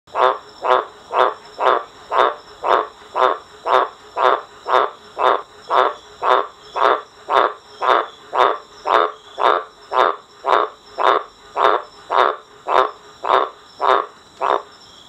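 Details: A male green tree frog calling for a mate at night on a verandah gives a nasal, honking croak about twice a second.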